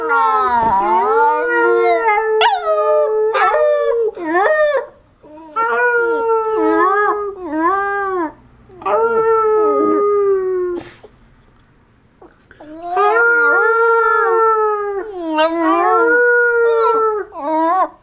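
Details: Border terrier singing, a long series of sustained tonal howls with rich harmonics, steady then bending up and down, in phrases of several seconds separated by short pauses, loud and close.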